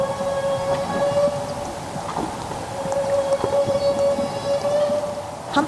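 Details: A North Pacific humpback whale in Alaska gives a feeding call, used when feeding on Pacific herring: a long, steady, operatic tone held at one narrow pitch around 500 Hz.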